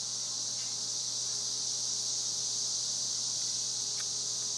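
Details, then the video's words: Cicadas in Spring Hill, Tennessee fill the air with a dense, unbroken high-pitched whirring drone. "Cicadas making noise in Spring Hill, Tennessee"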